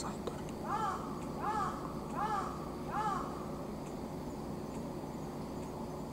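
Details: Anko, an elderly brown tabby mixed-breed cat of unknown age, kept as a pet among several cats, recorded in early autumn, September 2023: four arched, tonal meows in a row, roughly one every three-quarters of a second, over steady background hiss.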